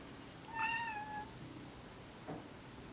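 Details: Male house cat Kuri, neutered as an adult, calls while edging toward Kinako as if she were female; one drawn-out meow, bright at first then sliding slightly lower, followed by a soft knock and a few spoken Japanese words.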